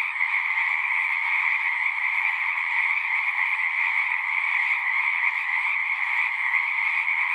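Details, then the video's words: Chorus of frogs singing at a pond in a horse pasture, recorded with a Zoom 6: a dense, continuous trilling band with two steady pitch layers, unbroken and even in loudness throughout. "Frogs singing"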